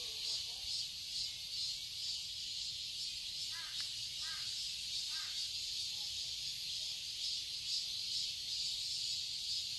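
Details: High buzzing drone of cicadas in a summer garden in Seoul, Korea, steady and slightly pulsing, with a few distant bird caws around the middle.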